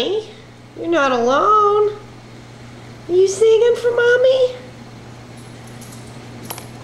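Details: Zippy, a female miniature dachshund mix, howls indoors when she realizes she is the only one in the room. There are two drawn-out, wavering, mournful howls: the first dips then lifts, the second climbs steadily before fading.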